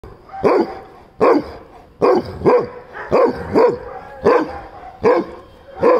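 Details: A male Weimaraner, standing on his hind legs, barks at a Rottweiler in loud, deep bursts, some coming as quick doubles, about once a second.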